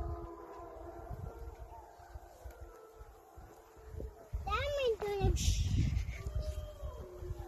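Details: A wolf pack on a riverbank near Drayton Valley, Alberta, Canada, on September 12, 2020, howls back after people fishing howled to them; one voice rises into a brief wavering tone over low rumbling and murmured voices.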